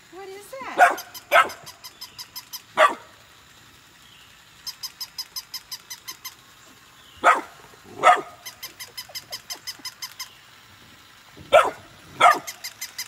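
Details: Golden retriever siblings Nala and Scout, born August 2020, reacting to and playing with a new puppy; pairs of sharp, loud barks spaced several seconds apart, with a regular rapid ticking between them and faint speech.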